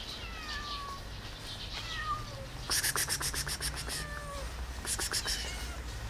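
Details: Domestic cat meowing while another cat hisses: thin, high meows with falling tails, followed by a burst of broad, noisy clicks and scratching sounds; low background hum throughout.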